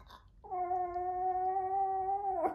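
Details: Maltese dog howling indoors in answer to its owner: one sustained, steady tonal howl lasting about two seconds, holding a level pitch before a brief drop at the end.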